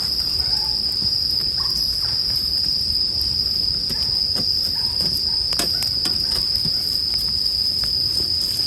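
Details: Steady shrill bell cricket ringing sits over a bonfire, the high tone constant while many small crisp crackles and pops of the fire scatter across the passage.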